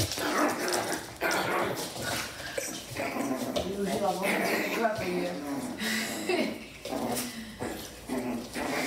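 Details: Miniature Schnauzer playing with a Havanese puppy: rough, whining growls with wavering harmonic tones over several seconds, broken by short yips, with a person speaking German throughout.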